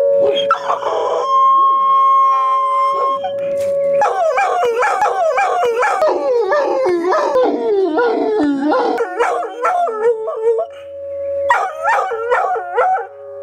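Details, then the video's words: Dog howling in reaction to tornado sirens: long wavering howls with rising and falling pitch, repeated in a rapid series, over the steady tone of the siren throughout. "Dog's reaction to Tornado sirens"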